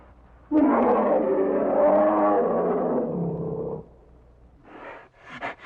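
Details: Bear giving one sustained, rough, throaty roar of about three seconds that rises slightly and then falls away, followed by a few quieter huffs and clicks.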